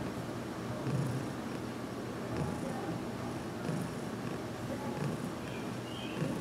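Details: Heidi, a pet cat getting used to being massaged, purrs as her head is worked on indoors; a continuous low rumble with slight rhythmic pulses and a few faint higher sounds late in the clip.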